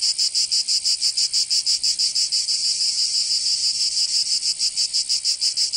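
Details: In Provence, southern France, summer cicadas sing a harsh, high rasping buzz that throbs in quick regular beats, about three each second, briefly smoothing into a steadier drone midway.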